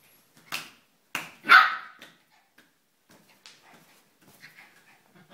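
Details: Shiba Inu barking in a quick burst of three harsh barks, the last one loudest and drawn out. Faint, softer sounds follow in a quieter stretch.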